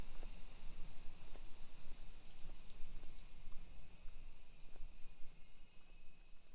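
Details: A constant high, sizzling cicada chorus fills a Japanese hillside residential street in Nisshin, Aichi, at 1 PM on a July 2021 summer day, over soft, regular footstep taps and low rumble.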